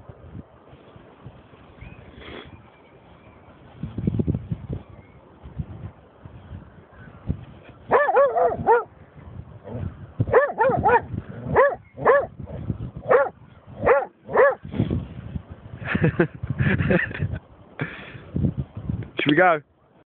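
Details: Snoop, a German Shorthaired Pointer, over a dead seagull: quiet low rumbling at first, then from midway a run of high wavering whines and yelps broken by sharp barks, irregular and agitated, ending in a rising yelp.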